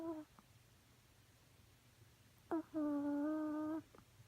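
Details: Romeo the chihuahua snoring indoors: short nasal tones, then a steady humming whistle with bright overtones lasting about a second, between quiet breaths in a small room.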